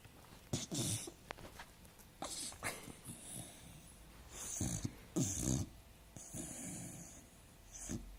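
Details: A dog asleep, giving a busy run of snuffling snores and short snorts, rough bursts every half second to a second at uneven loudness, a few sharper puffs standing out.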